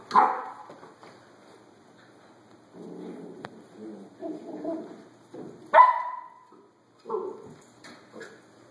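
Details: Rescued puppies, five from a litter of twelve in a rural area south of Tampa, April 2013, mixed Catahoula Cur, Lab, Golden Retriever and German Shepherd parentage, with a Rat Terrier; short yelping barks and whines among softer low murmurs and shuffling.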